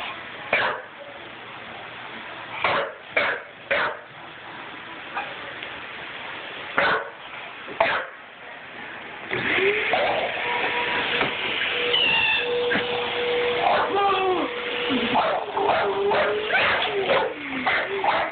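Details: A young English Bulldog, about six months old, barks indoors at a vacuum cleaner it dislikes. Sharp, separate bark bursts come in the first half. Then the machine's steady drone starts, with yelping, harmonic cries layered over it.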